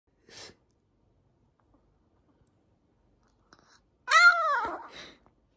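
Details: Maltese dog crying out in protest during a nail trim: near silence with a soft sniff, then one loud, short wail that rises and falls in clear harmonic arcs before fading into a breathy tail.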